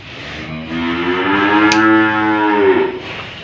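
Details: A single long, full moo from an old cow as a rope is fitted through its nose, sustained and slightly wavering, with a brief knock in the middle.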